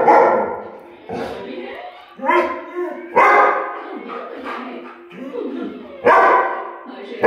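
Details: German Shepherd barking at a clock: loud, sharp harmonic barks at about one, two, three and six seconds, each fading quickly, with quieter sounds between the outbursts.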